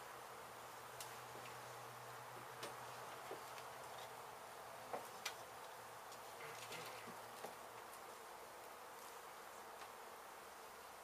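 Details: Disturbed honey bee colony being removed from a demolished abandoned house in Mission, Texas; a constant massed buzz runs throughout, broken by scattered sharp knocks and taps from the removal work.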